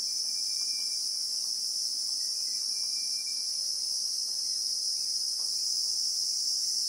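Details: Real-time recording from the South African bushveld of Christmas beetles (Anoplognathus): a dense, level, high-pitched insect buzz runs unbroken, with faint brief whistles sounding now and then beneath it.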